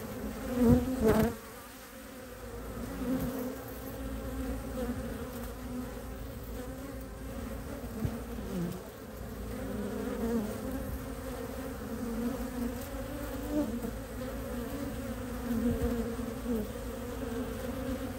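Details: Honey bees returning with maple pollen to a hive entrance in Ohio, mid-March 2023, in early spring with temperatures in the 50s; a dozen foragers land, making a steady low droning hum with brief louder swells as bees pass close.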